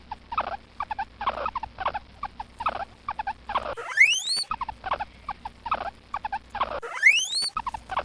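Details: Guinea pig (preá) chuttering in quick repeated pulsed bursts, broken twice by a sharp rising whistled squeal with bright overtones.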